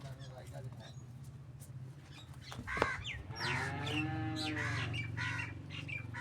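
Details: A Cholistani Friesian cross cow in Pakistan gives a rough, broad moo of under two seconds mid-clip over a constant low hum, with a sharp knock just before it.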